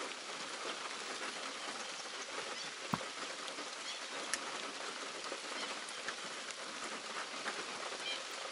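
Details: Steady rain patters throughout, with a few sharper drips and no animal voices.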